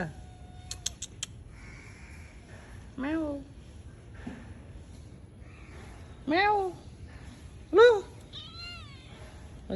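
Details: Cat calling indoors with repeated loud meows, each a rising then falling whine with rich overtones, roughly one every one to two seconds in the second half, plus a faint higher mewing and clicking noises at the start.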